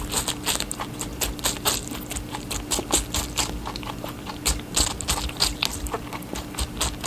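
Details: Watermelon eaten by a rabbit: sharp, crisp crunches and juicy chewing strokes in quick succession, louder bursts now and then, low hum behind.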